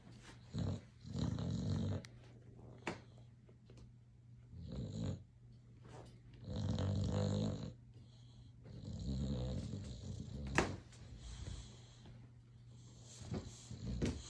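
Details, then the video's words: Boxer dog asleep and dreaming indoors, snoring in deep, rumbling low bursts about two seconds long, five of them spaced by quieter breathing, with faint clicks and a sharp tick near the end. "Boxer dog snoring and dreaming"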